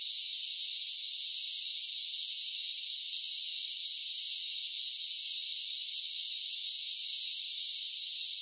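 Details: A steady, unbroken high-pitched buzz of cicadas on a summer day. The shrill, even wash of sound holds at constant loudness throughout, with no pauses, no rhythm and no other voices.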